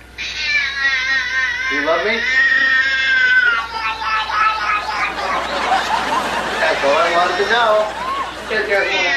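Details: Pet cat said to be saying hello or mama: loud, drawn-out, wavering meows with rich harmonics, rising and falling in pitch and running nearly continuously, indoors, with a person's voice nearby.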